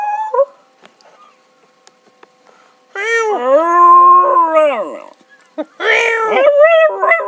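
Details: House dog joining in with a howl as its owner meows: a long steady, slightly falling howl of about two seconds, then a wavering, rising howl after a short pause.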